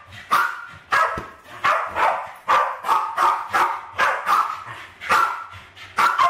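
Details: Alfie and Crystal, two Westies around 7 and 8 years old, attack balloons in a home kitchen, 2012; a steady stream of high, yappy barks repeats about twice a second with little pause.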